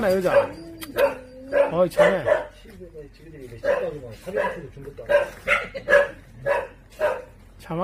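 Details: Jindo dog on Jindo island, South Korea, giving a series of short, tonal barks and yips, roughly one every half second with brief pauses, plus a few wavering whine-like notes; soft human voices in the background.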